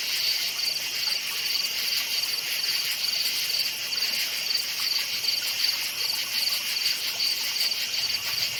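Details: Crickets chirping at night in a forest: a dense, steady high-pitched chorus with rapid pulsed chirps repeating several times per second over a continuous shrill hum, with no other clear sounds.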